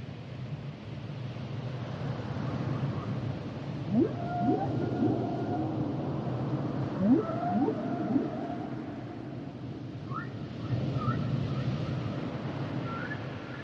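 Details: Humpback whale song with phrases repeating: pairs and triplets of fast upward swoops ending in held moans, separated by quieter gaps, then short rising chirps leading into flat whistled notes near the end, low ocean rumble throughout.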